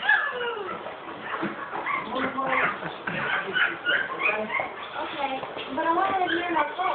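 Cocker Spaniel puppies whimper and whine in high, wavering overlapping cries, with a person talking.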